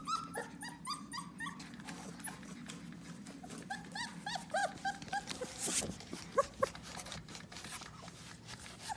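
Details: Four-week-old puppies, litter of the mother dog Oakley, give high squeaky whimpers and whines in rapid irregular bursts, many short bent-pitch cries overlapping across the whole stretch, with rustling and a soft low room hum beneath.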